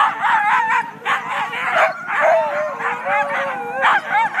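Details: Siberian huskies, the first sled team of the day, just before the start in Klamath National Forest north of Weed, California, on February 9; a crowd of dogs yelps and howls with wavering, sliding cries over constant barking.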